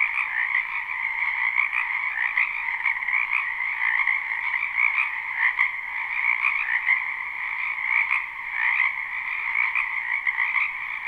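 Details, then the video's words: Spring wetland frog chorus, a live unlooped recording near a house: countless croaks merge into a steady, shimmering trill, two stacked bands humming on without a break, slight swells every second or so. "Ambient Noise for Sleep Frogs"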